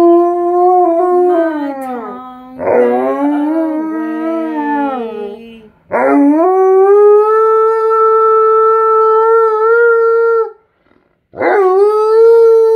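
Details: Male Alaskan Malamute, cuddled up on a couch, howls along while his owner sings "You Are My Sunshine"; long sustained tonal howls with rich harmonics, sliding and wavering in pitch, broken by short pauses.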